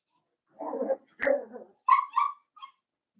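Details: Young Cavalier King Charles Spaniel puppies, blenheim-coloured, from a New Year's litter of five. Two rough little barks are followed by a run of high, clear whining yips that taper off quietly.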